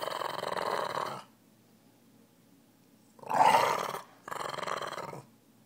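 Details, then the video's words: Piper Jane, a Boston Terrier, growls during toy play in three rough, rumbling bursts, the second loudest, separated by short silences. "Meanest little Boston"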